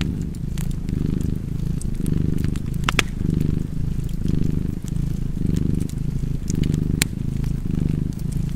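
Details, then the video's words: Purring cat near a crackling fireplace, its deep buzzing rumble pulsing in and out about once a second, while bright snaps from the burning fire punctuate the background. "Purring Cat and Fireplace"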